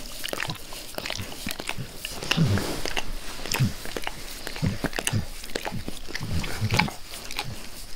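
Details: Wet, rhythmic slurping as Max, a pet dog, zealously licks his owner's face in a small room; sticky clicks come in bursts roughly every second, layered over deeper muffled smacks.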